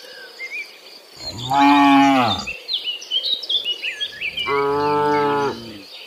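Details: In a forest, tame cattle low twice, deep sustained moos roughly a second each, separated by a pause filled with busy bird chirps and twitters.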